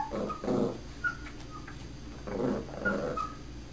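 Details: A puppy in training, barking on command: two low, muffled bark bursts about two seconds apart, each joined by short high whining tones, with a steady low hum in the background.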